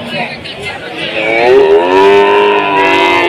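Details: At a Tuban cattle market in Indonesia, amid a foot-and-mouth outbreak and slumping prices, a bovine gives a drawn-out moo that rises into a strong, rich-toned middle and then gently fades, with background chatter.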